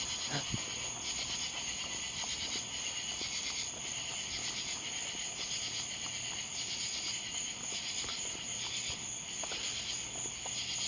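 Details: At night in a residential yard, many Columbian trigs sing together in a continuous, very high, silvery trill that never pauses, with lower pulsing insect calls, including a katydid, and a few faint clicks beneath.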